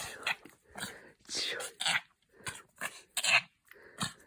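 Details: Dog making weird sounds while happy: a quick run of short, breathy, snorting grunts with faint whiny tones, roughly nine rough bursts in four seconds, some louder and noisier than others.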